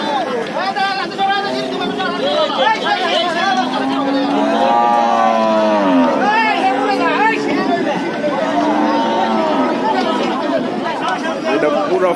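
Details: Cattle being taken off a stranded trawler loaded with them and brought onto the bank; repeated low, wavering moos overlap, with a long swelling bellow mid-way, mixed with constant human shouting and chatter.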